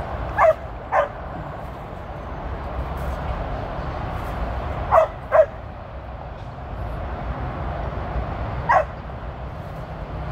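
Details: Tir, a 13-year-old female Border Collie, working sheep on her first run: scattered single and paired sharp barks, a pair near the start, another pair midway and one near the end, over constant low background rumble.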